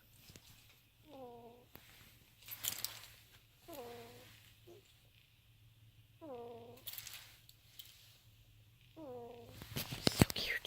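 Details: Several pet ferrets asleep in a pouch, snoring in a steady rhythm: four squeaky, nasal, slightly falling whistles roughly every two and a half seconds, with bedding rustles and handling noise in between.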